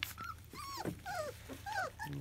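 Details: Field-type Labrador Retriever puppies, 25 days old, during their first weaning meal: thin, high whining squeals rising and falling in short arcs, several overlapping, with a faint low hum underneath.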